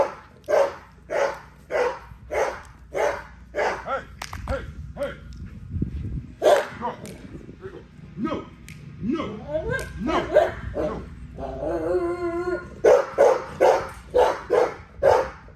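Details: During everyday exercise an XL American Bully gives steady barks about twice a second, pausing midway while a man speaks, then resuming the rhythmic barking to the end.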